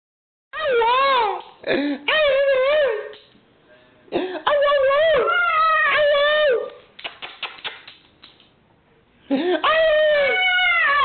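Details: Pet dog singing indoors: bursts of wavering, whining howls that rise and dip in pitch, separated by short pauses, with a stretch of soft clicking and broken noises before a final howl.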